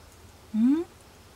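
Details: Kuri, a male pet cat, unwell and hiding under a desk at home around 21:30, not eating and ignoring catnip, gives a single short, low, rising meow lasting about a third of a second in a quiet room.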